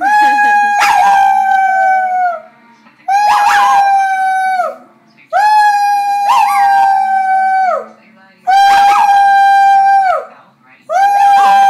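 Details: A male dog howls loudly in a steady series: five sustained, even-pitched howls about two seconds long, each followed by a brief silence, almost regularly spaced.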